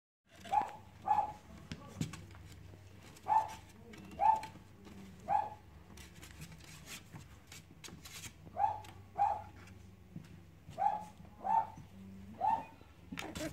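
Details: Cavalier King Charles Spaniel puppies at play, giving short, mid-pitched whimpering yelps in loose bursts of two or three, with quiet pauses between and faint low rumbling underneath.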